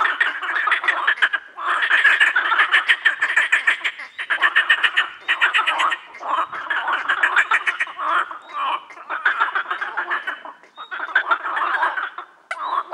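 A dense frog chorus of rapid, rattling croaks from many callers overlapping without pause.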